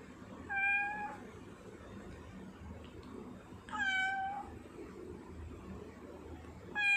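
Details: Sia, a tortoiseshell house cat, 10 November 2019. Repeated meows roughly every three seconds: a short level cry, then a longer bending one, and a third cut off at the end, with steady soft background hum.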